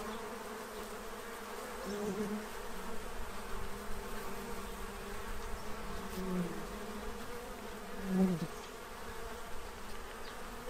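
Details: Bees feeding to prepare for winter in Central Illinois, gathered at a feeding tray: a steady, low droning hum with layered tones that waver and swell as insects pass close, with a brief louder buzz near the end.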